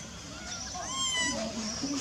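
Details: A baby monkey named Lizza, living wild in the forest of the Angkor Park area, gives thin, high, wavering cries as it calls for its mother.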